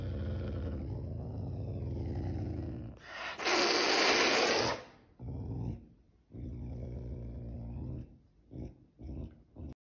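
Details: A hungry caracal growls low and rumbling, breaks into a loud, harsh hissing snarl, then settles back to growls.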